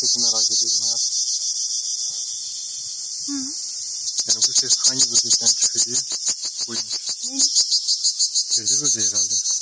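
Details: Cricket giving a steady, piercing high-pitched trill that becomes rapidly pulsed midway, about three pulses a second, while people talk nearby throughout.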